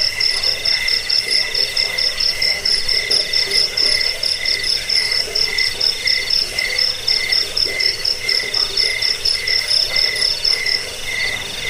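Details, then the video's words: Chorus of crickets, offered as a rat repellent, sleep aid and tutor for cage birds: rapid, regularly pulsed high chirps layered over a steady ringing drone, several insects calling at once throughout. "Suara jangkik pengusir tikus pengantar tidur"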